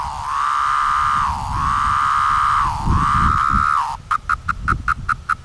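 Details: Seventeen-year periodical cicadas of brood V, Cleveland, Ohio, 2016, at moulting time: long whining drones that sag and swell in pitch, then a switch to quick pulsed buzzes, roughly two or three per second.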